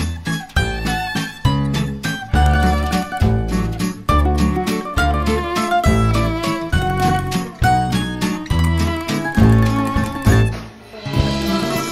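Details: Bright, rhythmic music with strong bass beats plays throughout, and no animal sound can be heard. The steady pulse continues for the whole stretch, and no other clear sounds rise above it.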